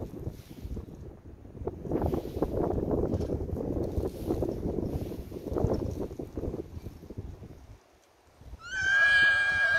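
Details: Grey Percheron mare giving a short, high, quavering whinny at the very end, after several seconds of irregular hoof clopping and shuffling.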